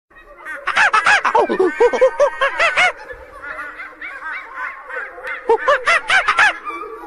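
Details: A monkey in a forest gives a rapid run of harsh, arching, honking calls that rise and fall in quick bursts.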